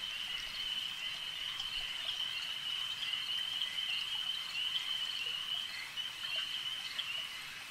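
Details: Lakeside frog chorus: countless overlapping high-pitched trills merge into one constant ringing drone, with occasional brief clicks and a light noise floor.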